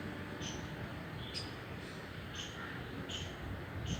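A squirrel gives brief, high, thin chirps at irregular intervals over a steady low rumble.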